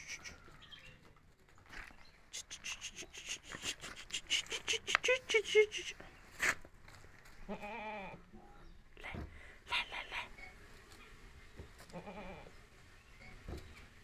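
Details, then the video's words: Himachali goat kids bleating in short harmonic calls around the eighth, tenth and twelfth seconds, after a burst of sharp clicking and tapping noises early on, with low background hum. "हिमाचली बकरी के बच्चे"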